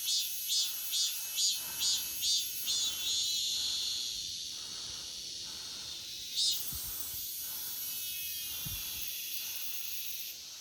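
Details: Cicada in an August forest opening with pulsed buzzy bursts repeated roughly twice a second, then smoothing into a continuous high shrill drone, with one sharp swelling buzz midway and a couple of low knocks.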